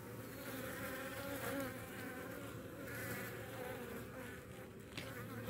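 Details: Honey bees from a Baltimore colony attacking and killing a European hornet queen that came too close to the hives in the morning; continuous low droning hum of many bees with no other clear sounds.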